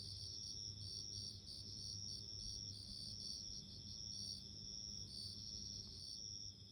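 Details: Bell crickets chirp in high, tinkling pulses and sustained trills, many calling together, with a soft low rumble beneath.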